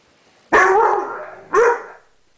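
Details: Puppy of seven months barking at a mirror it cannot figure out: a loud, harsh, drawn-out bark followed a second later by a shorter, sharp second bark, both strong and close.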